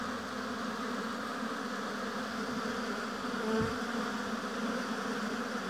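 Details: Steady humming of honey bees at a hive in an apiary, a dense even drone. Midway, one bee flies nearer, and its buzz rises briefly above the mass before sinking back.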